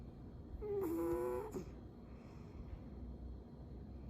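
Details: Elderly 22-year-old female cat snoring in her sleep indoors: a single drawn-out nasal snore with a slightly wavering tone lasting under a second, followed by quiet room hiss.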